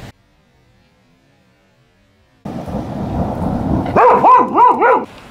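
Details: Lena, a female Border Collie born in November 2014, stands up to a thunderstorm: steady rain and rumbling fill the background after a silent start, then three arching, harmonic barks ring out in quick succession near the end.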